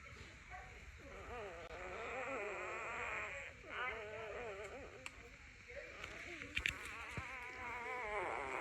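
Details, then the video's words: Puppy crying in the morning: high, wavering whines with rapid vibrato, repeated in overlapping strands, with a few sharp clicks and knocks in the background. "Dog whiningsound effect . Puppy dog crying at morning"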